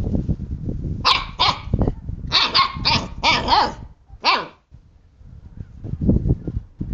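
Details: Playful Siberian husky puppies, a brother and sister, nip at a hand, letting out a burst of six or seven shrill puppy barks amid thumping and scuffling, then one last yip.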